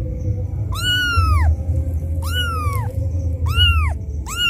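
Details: Kitten crying loudly for its mother after being left alone, used as a lure call for other cats; four arched meows rising then falling, strongly harmonic, spaced about a second apart over low steady background hum.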